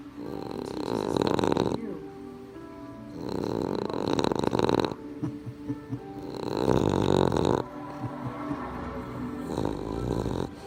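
A Boston terrier snores in rough, rattling breaths that rise and fall about every three seconds.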